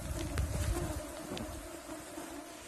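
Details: Mosquitoes in Yakutia: a steady, thin, continuous whine under low rumbling wind and handling noise.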